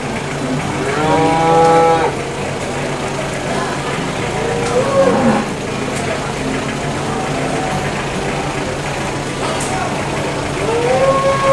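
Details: Small cattle at the Boyolali cattle market low repeatedly, each moo a rich, droning tone about a second long that bends up then sags, over constant crowd and machinery murmur.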